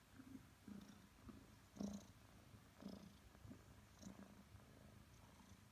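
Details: A 5-month-old Maine Coon cat, cuddling with his owner, purrs steadily: a low rumbling hum that swells with each breath.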